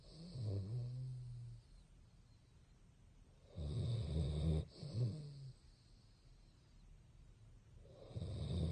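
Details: Bongyi, a pet Basset hound dozing with open eyes, gives repeated throaty, low snores, each a rough inhale and fluttering exhale, coming about every three to four seconds in a quiet room.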